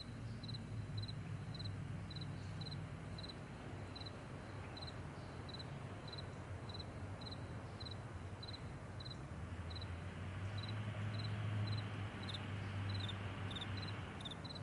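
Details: Crickets on a vast meadow in the morning, giving short, high, paired chirps about three to four times a second in a steady run, over a heavy low rumble that swells near the end.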